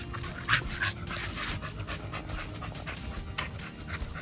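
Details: Pit Bull eating raw food and New Zealand green-lipped mussels; wet crunching and smacking chews repeat quickly, with a brief squeaky whine early on.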